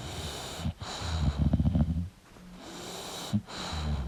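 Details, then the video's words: English bulldog sleeping, giving a short rattling snore and snuffly, snorting breaths with a soft wheeze, then quieter breathing and a sharp sniff near the end. "English Bulldog Sleeping & Snoring Sound"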